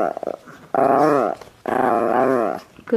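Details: Pet Chihuahua indoors, urged by its owner to "say I love you" before getting a cookie, answers with two drawn-out, harmonic growling moans of about a second each, wavering in pitch, with a woman's coaxing voice and praise between them.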